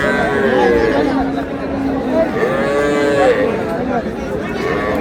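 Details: Cows with calves at Ambari livestock market, Dinajpur, on 20 February 2026; drawn-out lowing moos with wavering harmonic pitch rise and fall over a constant bed of crowd chatter and bargaining voices.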